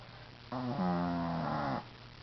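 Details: Nana, a sleeping Shih Tzu, gives one loud, rasping snore of just over a second, rough and evenly pitched, rising sharply out of quiet over a constant low background hum.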